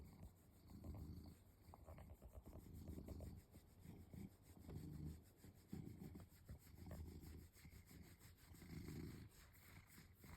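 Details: House cat being scratched, a nightly treat it loves, gives a low rumbling purr in swelling bursts about every two seconds, each surge rising and fading with its breathing. Faint rubbing sounds run beneath.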